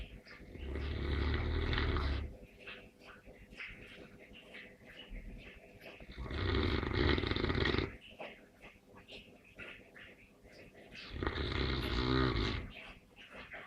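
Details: Neapolitan Mastiff snoring: three long, deep, rasping breaths, each about two seconds, spaced roughly five seconds apart, with a quieter wheezy rumble between them.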